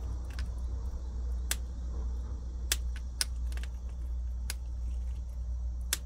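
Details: Prairie dog eating chickpeas indoors: sharp, crisp crunching clicks come irregularly, about one every half second to second, over a steady low hum.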